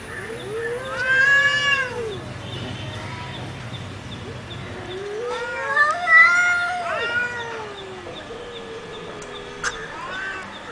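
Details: Two cats fighting, trading drawn-out wavering wails that rise and fall in pitch, loudest bursts near the start and middle, with quieter moaning between and a faint steady background hum.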